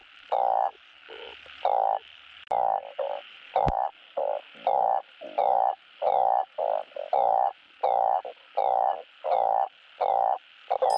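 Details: Balloon frog; mating call; calling for a mate during breeding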